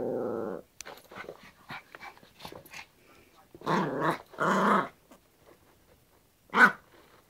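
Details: Yorkshire Terrier at play with a hairbrush in a small room: an opening low growl, then scuffling and clicks, two rough growl bursts and a final sharp yap.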